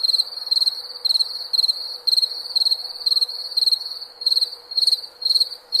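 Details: Relaxing cricket chirps at night: rapid bursts of three or four shrill pulses, repeating about twice each second in an even rhythm with light background hiss.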